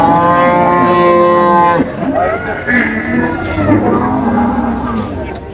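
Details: Cattle at Ambari Haat cattle market in Dinajpur, where cows and calves are sold, on 14 July 2025: one long, steady, even-pitched moo lasts nearly two seconds. Men then bargain over livestock amid crowd chatter and market hubbub.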